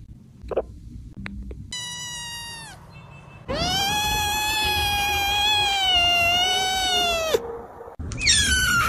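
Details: After a few soft taps, a kitten gives a short falling meow, then a long, loud, steady meow of almost four seconds, ending with a brief high wavering squeal.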